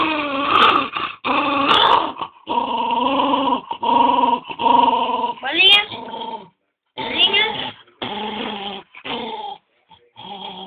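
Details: Pantufa, a dog busy with his ball, keeps up a long series of tonal growling moans, steady and droning in places and rising into a whiny sweep midway, with brief gaps between bursts.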